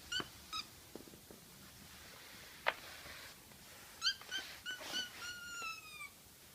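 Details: Household kitten crying with short 'kya' notes, then longer meows that hold steady and slowly slide downward near the end. A sharp click is heard midway, and the setting is a quiet indoor room.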